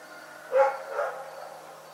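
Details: Rex, a dog, barking at night: one sharp bark followed half a second later by a softer second bark, then quiet, with a faint steady high pulsing in the background.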